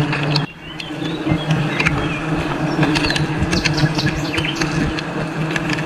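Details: Honey bees swarming during a wild honey harvest in a forest: a dense, steady low droning hum runs throughout, with scattered clicks and knocks, and faint bird chirps higher up.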